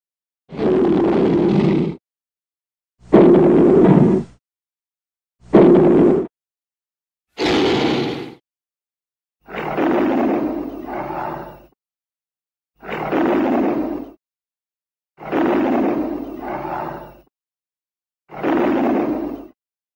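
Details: Lion vocalising in an edited sequence of eight deep, rasping roars and grunts, each one to two seconds long and separated by short silences, some split into two pulses.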